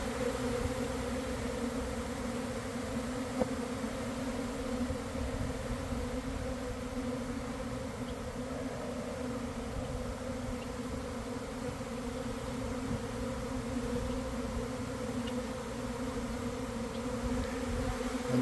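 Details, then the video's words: Large honey bee swarm investigating and beginning to enter a hive box in a garden: constant, heavy humming drone, even in loudness, with occasional faint clicks. "Catching a Swarm in Real Time!"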